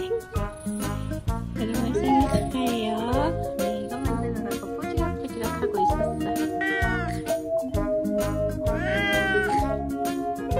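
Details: A 19-year-old former stray domestic cat on its birthday protests loudly against a fake jeans leg made to replace its owner's leg: drawn-out, wavering meows rising and falling, repeated several times over steady background music.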